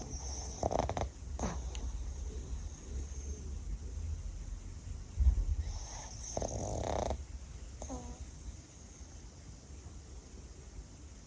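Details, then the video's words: A female Pug snores softly while napping, with low rumbling breaths and occasional louder snorts. "Funny Pug Sounds — Cutest Snoring Dog EVER!"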